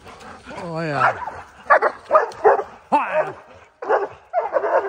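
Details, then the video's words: Four Oorang Airedale Terriers treeing a black bear fresh from its winter den, on a mountain trail in early spring: yelping, wavering howls and bursts of barking, overlaid by a man talking about the bear. "Airedale Terriers (4) tree a Black Bear"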